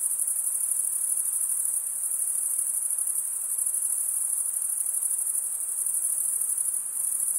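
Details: High, unbroken cricket chorus of stridulation, wings rubbed together, usually by males, forming a constant bright hiss-like trill with slight pulsation throughout, nothing else audible.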